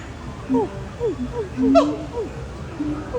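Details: Monkeys at Disney's Animal Kingdom call in short, tonal, squealing notes that swoop up and down, overlapping one another.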